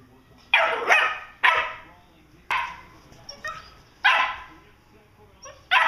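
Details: Two Vizslas play fighting in August 2012; short, harsh barks and growly yaps come in bursts roughly every second or so, some doubled, with brief quiet gaps between.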